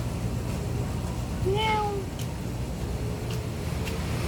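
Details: Stray neighbourhood cat filmed in 2019 on a Samsung Galaxy S9+, giving a single drawn-out meow that rises then falls over about half a second, over steady low traffic rumble.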